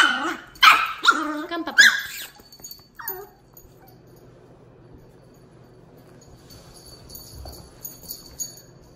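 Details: Tito the two-month-old Miniature Pinscher puppy and Jupiter the eighteen-month-old Dachshund meet for the first time. Three sharp barks come in quick succession, then one short yip before near silence.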